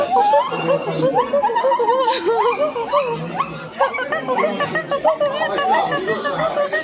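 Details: Silvery gibbons (Javan gibbon, Hylobates moloch) give overlapping wavering hoots that rise and fall in a busy, chattering chorus.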